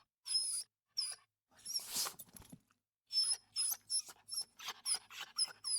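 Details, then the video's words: Small dog whimpering in a series of short, high, thin whines, each a brief squeaky note with some breathy, snuffly sounds between, after a longer rougher whine near the middle; quiet indoor setting. "Small Dog Wimper Series"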